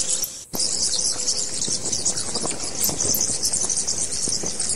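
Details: Bats squeaking in a thick, high-pitched chorus of rapid chirps and squeals. The chorus begins after a brief quiet gap near the start, and a low steady hum runs in the background.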